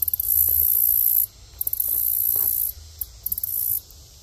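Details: A green grasshopper sings in very high, hissing buzzes, each lasting about a second, with brief pauses between.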